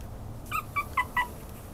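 A small Maltese-Chihuahua mix dog gives four quick, high, thin yips in a row.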